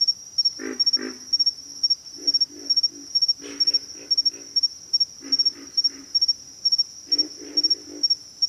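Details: Chorus of pig frogs grunting in frequent clustered bursts of two to four throaty notes, barely pausing between groups, under a steady piercing insect hum.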